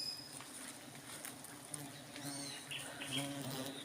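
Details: Honey bees during a honey harvest, a steady low droning hum with faint high chirps scattered over it.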